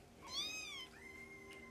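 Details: A young foster kitten, one of a litter nursing and playing beside their mother cat, gives a clear, bright, arched mew followed by a thin, steady high squeak, over a faint constant indoor hum.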